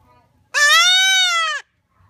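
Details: A two-week-old Nubian goat kid gives one loud, sustained, nasal bleat that rises slightly and then falls away.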